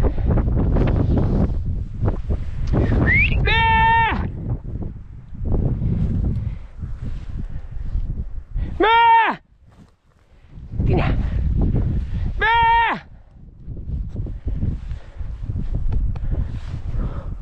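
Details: Podenco hunting dogs on a chase, giving three drawn-out, tonal, arching yelps spaced several seconds apart. Between them come a man's shouted Spanish calls to the dogs, footsteps and rustling.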